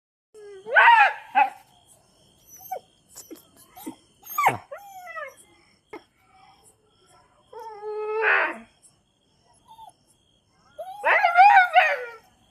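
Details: Chippiparai dog giving high, wavering whines and yelps in separate bursts, some rising and falling, with a few short squeaky sounds between and quiet gaps.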